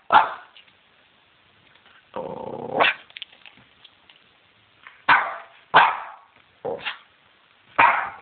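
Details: Dog barking at night under night-vision filming: loud, abrupt barks with one longer, rougher growling bark early on, then spaced single barks about a second apart.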